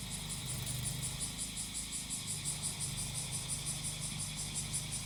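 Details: Cicadas singing during grass-cutting work: a high, shimmering buzz pulsing about three to four times per second, layered over the low, steady drone of a brush-cutter engine.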